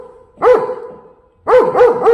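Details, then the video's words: German Shepherd dog giving warning barks while guarding the home: one sharp bark, a short silence, then three quick barks in a row. "German Shepherd doesn't bark for fun — it's a warning."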